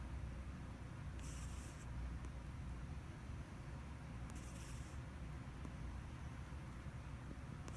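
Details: Domestic cat deep asleep, recorded 29 October 2017, breathing with soft puffing 'puku-puku' snores: two airy, hissing exhalations about three seconds apart over a steady low rumbling background hum.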